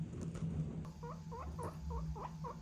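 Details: A seven-year-old pet guinea pig, unusually irritable today, grumbles in annoyance after rushing in expecting food: a run of short squeaky chirps repeated about twice a second.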